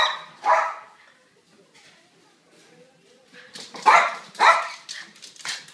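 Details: A boxer and a silkie terrier playing indoors over a toy ball: one sharp bark, a quiet gap with faint sounds, then a cluster of louder yappy barks near the end.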